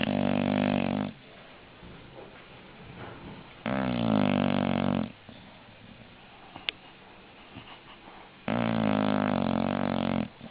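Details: English bulldog snoring steadily: three loud, harsh, rattling inhaled snores, each about a second long, come roughly every three to four seconds with quiet breathing between and a tiny click in one gap.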